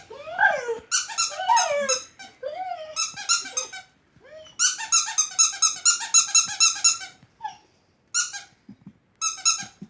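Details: A dog that dislikes a squeaking sound reacts to it with wavering, rising and falling whines and yelps in the first two seconds, amid repeated high, harmonic squeaks that dominate the rest of the recording.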